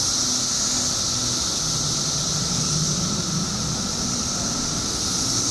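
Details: Billions of periodical cicadas emerging in Illinois after 17 years underground fill the air with a loud, continuous shrill drone, an even lower whining band beneath, and a soft low rumble in the background.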